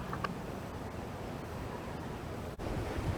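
Steady low wind rumble and microphone buffeting with faint water or surf noise; no animal calls are heard.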